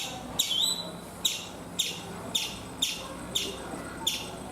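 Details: Chipmunk on a coconut tree in India giving bright, piercing chip notes roughly every half second to second. Each is short and sharply falling over a quiet background.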